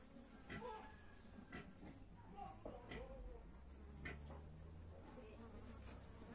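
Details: Western honey bee (Apis mellifera), buzz.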